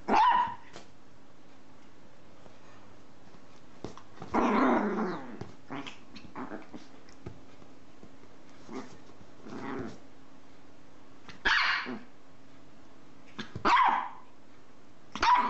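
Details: Dog barking sporadically, a rough drawn-out bark near the middle and sharper single barks later, spaced several seconds apart over a steady low electrical hum.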